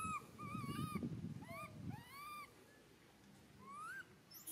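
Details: Young monkey Santos calls out for mother Sarah with clear, plaintive whistled wails that bend upward and drop, coming in quick clusters over a low rumbling background.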